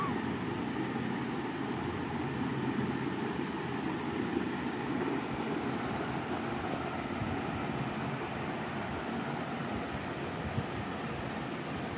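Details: A steady, broad engine-like rumble runs throughout without any animal sound.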